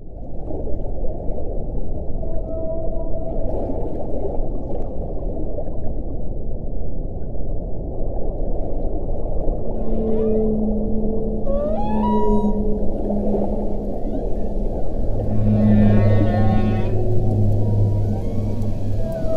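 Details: Whale song with loud, powerful low moaning tones held steady for a second or two, some sliding upward into higher whoops and a burst of fast, rising harmonic sweeps near the end, over a constant deep rumbling background.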